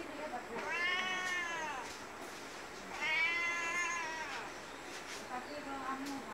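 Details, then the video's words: Two long, bowed meows from a cat, rising then falling in pitch, roughly two and a half seconds apart, followed by softer clicks and faint shuffling noises. "Meow @ Cat"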